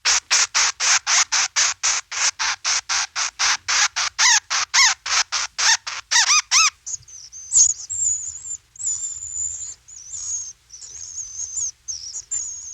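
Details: Bat. A bat's echolocation pulses come quickly and evenly, about three each second, as dry broadband clicks that turn into short downward sweeps. These calls help it navigate and hunt in the dark, and they give way to thin, wavering high-pitched tones.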